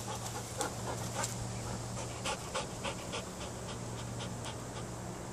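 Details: Panting of Loki, a Belgian Malinois aged 19 months, between training commands: soft, rapid, slightly uneven breaths over a humming, hissy background.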